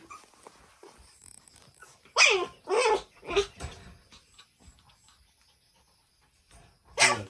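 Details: Shih Tzu x Pomeranian barking while meeting another dog: three loud, sharp barks in quick succession after a quiet start, a long pause with faint rustling, then one final bark.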